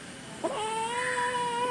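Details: A kitten being talked to in Malayalam gives a sustained, even meow after a brief scratchy onset, the tone rising slightly and holding steady to the end.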